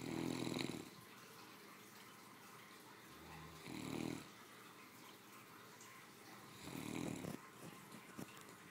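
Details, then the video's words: Spoiled family pet, a three-year-old female Great Dane, snores after her midday meal: three low, rasping snores repeat about every three seconds, with soft breaths and a few faint rustles between them. "My 3 yr old snoring after a hardy lunch"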